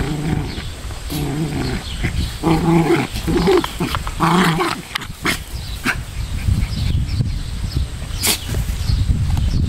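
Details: Pomeranian pair play-fighting on a central Wisconsin farm: clustered growls and yappy snarls in the first few seconds, then mostly scuffling, clicks and low background rumble.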